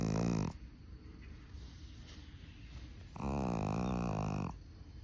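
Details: Tired Chihuahua asleep after a camping outing: the end of one snore, then a pause, then a longer buzzy, throaty snore lasting over a second, with faint hiss between them.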